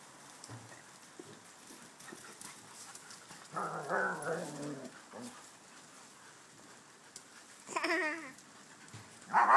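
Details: Dogs including a Schnauzer, a Ridgeback and shepherds: long quiet stretches broken by a wavering moan, a short warbled cry later, and an abrupt loud yelp at the very end.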